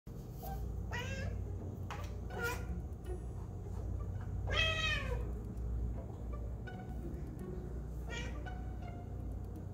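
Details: Basil, a pet cat, meowing while watching a squirrel: a string of short, high, chirpy meows, one longer falling meow in the middle, over a steady low rumble of background noise.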